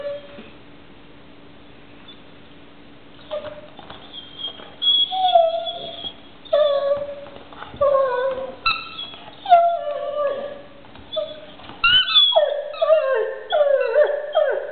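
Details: Near-silence at first, then a pet dog with a toy starts whining and howling, short sliding cries growing louder and more frequent, ending in a rapid string of falling yelps.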